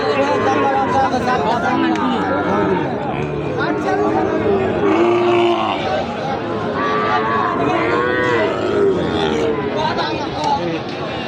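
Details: Sahiwal bull calves for farm rearing at the busy Ambari haat livestock market, held Fridays and Mondays; low drawn-out moos rise from the herd beneath constant crowd chatter and loud price bargaining.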